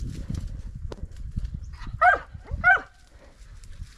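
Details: Podenco hunting dogs of the Perjuicillos pack during several hunting runs: two short, high, ringing yelps about 0.7 seconds apart over a steady rustle and low thumping of movement through brush.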